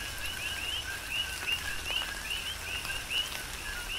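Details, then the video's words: Coqui frogs singing during a tropical rain shower, Big Island, Hawaii: distinct rising chirps each preceded by a lower short note, repeated at a quick uneven pace, with scattered drips and a soft rain wash. "Tropical Rain & Coqui"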